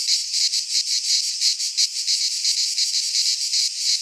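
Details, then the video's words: Midsummer chorus of cicadas in Greek pine woodland, a dense shrill buzz throbbing in quick regular pulses about three times per second, steady and unbroken throughout. "Cicadas singing in midsummer - Nature sounds from the Greek fauna - Sounds of cicadas"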